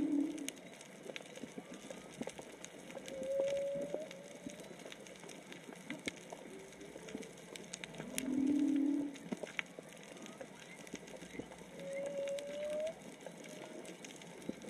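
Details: Whale song heard underwater while snorkelling off Onna, Okinawa, probably three to four whales: slow, drawn-out moans and rising tonal notes, spaced several seconds apart.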